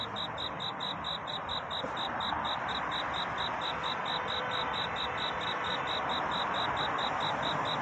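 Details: Night cricket courtship chorus before dawn: a high chirp repeated about four times a second, half-buried under a loud, broad, rushing hiss.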